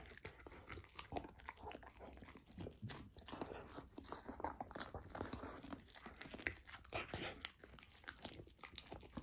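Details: Golden retriever puppy eating raw lamb for the first time, on a raw diet, indoors; steady wet chewing and crunching with frequent sharp bites and smacking, continuous throughout.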